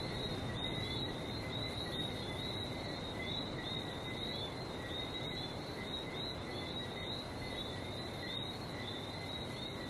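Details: Chorus of frogs recorded in Barbados: countless quick high chirps, roughly two or three per second from nearer callers, layered into a constant two-tone trilling wash over low rumbling background noise.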